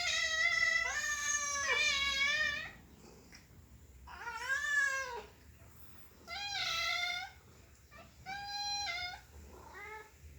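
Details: Happy domestic cat meowing repeatedly, five or so clear, ringing calls, the first long and wavering, later ones shorter with rising then falling pitch, spaced by short silences.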